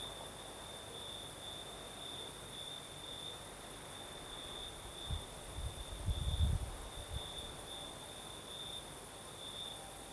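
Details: Crickets singing at night in the south of Crimea with a night breeze: a steady high, pulsing trill running through the whole recording, while a low rumble of breeze swells briefly near the middle.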